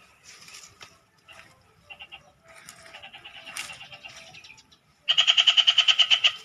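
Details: Frog beside a canal giving a sudden loud train of rapid rattling pulses in the final second and a half, after softer, scattered pulsing and faint background noise.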